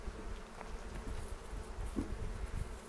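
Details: Soft, low hum of a honey bee colony at a bee yard near Cochrane in the foothills, recorded April 27 during a spring hive inspection with a 360 camera; quiet continuous drone with one brief knock.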